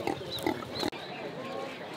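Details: Black pigs brought by local people to sell at a highland market in northwestern Vietnam. Three short, harsh grunts in the first second, then market chatter and background noise.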